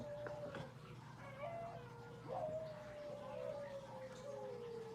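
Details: Alaskan Malamute indoors, one of three household dogs, giving a long, drawn-out howl that wavers and slowly falls in pitch over several seconds, fairly faint beneath background music and room noise.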